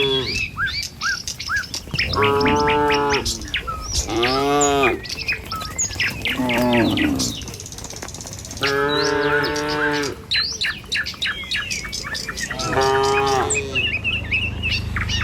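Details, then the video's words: Tame cattle herded along a village road in the morning on their way to the fields, lowing with several drawn-out harmonic moos spaced a few seconds apart, while small birds chirp steadily in the background. "Suara Sapi Moou Sepanjang Jalan Desa"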